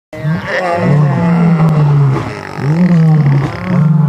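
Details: Wild lions, three males confronting a pride with cubs during a sunrise safari in August, roaring in a fight: deep, harmonic, drawn-out roaring snarls, each lasting over a second, rising and falling in pitch, almost continuous.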